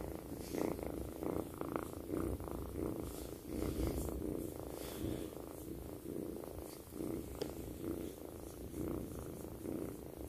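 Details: Kitten named Twinkle purring loudly as she sleeps next to her owner: a continuous low, buzzy rumble that swells and eases in a regular breathing rhythm, about twice per second, with faint indoor rustling.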